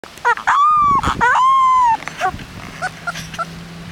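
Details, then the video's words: A three-week-old Rottweiler puppy, displeased on its first trip outside, gives short yelps and then a long, steady, whining howl with bright overtones. Another drawn-out cry follows, then fainter scattered yips. "Rottweiler puppy howling"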